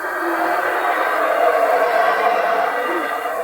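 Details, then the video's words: Small monkeys moving in jungle branches at the Palenque ruins, Mexico, give a deep, continuous roaring call that rumbles steadily without pause; several are present. "C'est ce singe là qui fait ce bruit là."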